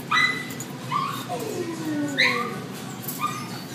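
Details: Two male Poodle–Toy and Cocker Spaniel mix dogs, about one year old, a bonded pair at a shelter in Devore, July 2012: short high rising yips about once a second around a long, slowly falling whine, over a low room hum.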